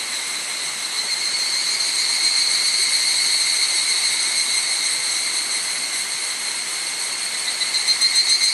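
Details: A chorus of evening cicadas (higurashi) on a cloudy summer evening, 31 July 2011, 18:00–18:30, on a hiking trail at Hokyousan, Tsukuba, Japan, rings out as a continuous, bright, metallic tone with faint fast pulsing, no single caller standing apart.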